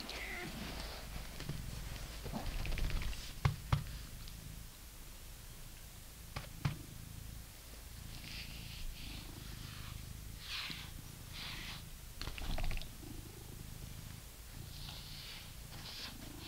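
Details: A British Shorthair cat purrs steadily while being brushed, a low continuous rumble beneath soft brushing strokes.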